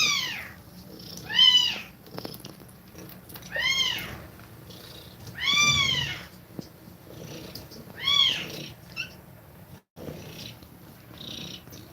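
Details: Domestic cat nursing her kittens indoors; high, arching mews rise and fall in pitch, about six spaced across twelve seconds at irregular intervals, over a quiet room.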